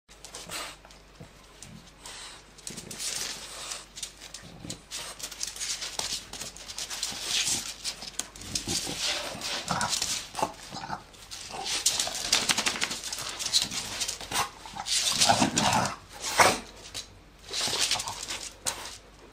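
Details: A 10-year-old male French bulldog playing with his owner like a puppy, his energy soon running out, snorts, huffs and pants in quick, breathy bursts with occasional soft whimpers.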